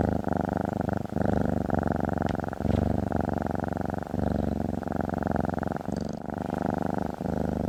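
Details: Domestic cat, female, lying on a desk, purring steadily: a continuous low rumbling throb with regular pulsing, brief soft pauses between breaths, and faint clicks now and then.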